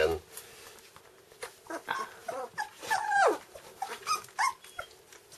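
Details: Two-week-old red Standard Poodle puppies, eyes just opened, give thin, high squeaky whimpers that slide up and down while a woman speaks softly.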